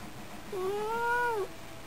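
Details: Pet cat, a talking cat with a cute voice, giving one long, even meow that rises slightly, holds steady for nearly a second, then drops at the end; quiet background.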